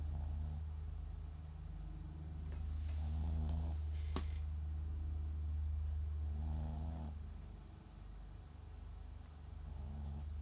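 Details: Papillon × Japanese Chin mix dog named MAX, asleep indoors, snoring: soft rasping, ribbed low snores return about every three to four seconds over a steady low household hum, with one brief sharp click between them.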